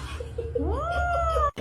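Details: Kitten meowing: a single drawn-out meow that rises, then holds a steady tone before breaking off, over a low background hum.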